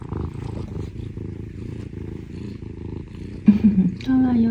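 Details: Affectionate Scottish Fold, a rescued younger brother cat living with a sibling, purring while seeking attention; a steady low rumbling purr pulses evenly for about three and a half seconds before a person's voice cuts in.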